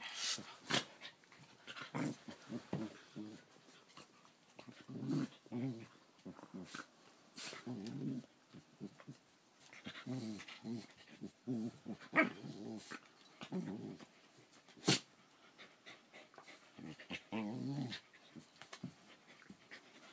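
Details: June 1, 2014 recording of two Keeshonds wrestling in play: repeated throaty growling bouts, each a second or two long, mixed with snaps, bumps and scrabbling noises of the scuffle, plus faint human speech.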